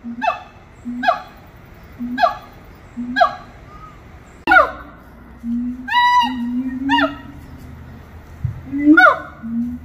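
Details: Captive monkeys at Little Rock Zoo sing four evenly spaced low-hoot-and-whoop pairs, then a sharp knock, longer held low tones, and rising-then-falling harmonic whoops that slide down in pitch.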